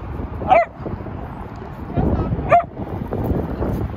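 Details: Muji, a cream dachshund puppy based in San Francisco, gives two short, high yips about two seconds apart over a steady murmur of background noise.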